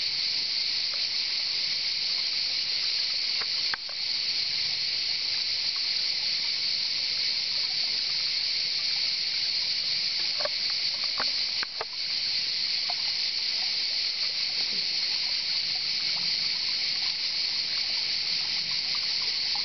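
Cicadas sing in a loud, unbroken, hissing buzz that holds steady from start to finish.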